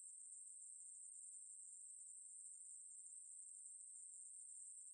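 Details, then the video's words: A Ruspolia katydid's song, from Korea's National Institute of Biological Resources, 2020, is heard as a constant thin, very high buzzing drone, even throughout, against silence. "매부리, 여러번 듣기, 곤충소리"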